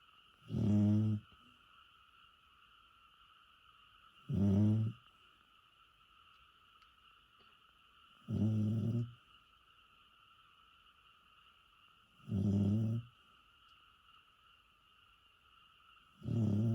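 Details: An old, bedridden pet dog in Japan, estimated born 2001, asleep and snoring like a human: low rumbling snores roughly every four seconds, steady and regular, with a faint constant electrical hum between breaths.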